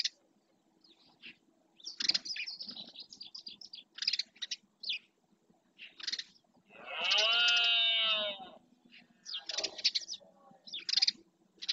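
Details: Rutting red deer male in the Doñana marshland, Spain, bellowing to stake out its territory: a single rough, harmonic roar of about one and a half seconds, set among frequent short bird chirps and twitters.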